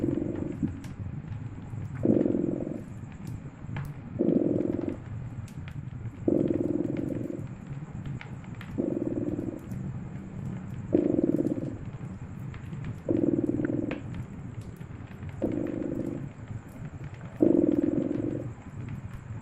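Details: Cat purring near a crackling fire on a snowy winter night; continuous deep rumble with nine louder surges about two seconds apart, punctuated by crisp pops and crackles from the fireplace.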